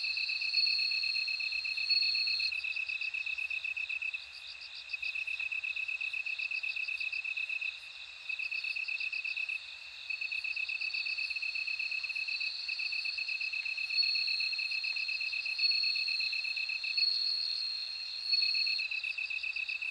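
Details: Bell cricket song of long, high, ringing trills that swell, break off and resume, layered over another steadily chirring insect with brief pauses and faint repeated clicks.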